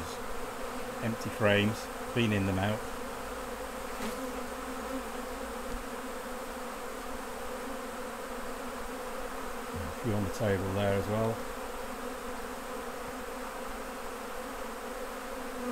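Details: Honey bees at their hives during a honey harvest as the honey is taken off, a steady low droning hum with layered overtones throughout, broken by two short bursts of human speech near the start and about two-thirds through.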